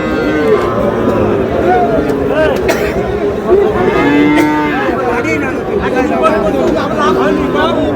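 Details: Sahiwal breed bull calves for sale at a Noakhali market on 18 June. Short and longer bovine moos, some bending upward, come in a mixed herd chorus. Human chatter and a busy crowd murmur run underneath throughout.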